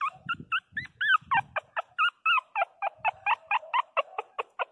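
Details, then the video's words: Pinscher puppies, 22 days old, crying loudly: a rapid, unbroken series of about twenty sharp, high whining yelps, each short and bright, some with a slight upward bend, with soft low thumps under the first second. "Filhotes de pinscher beby cute de 22 dias chorando alto"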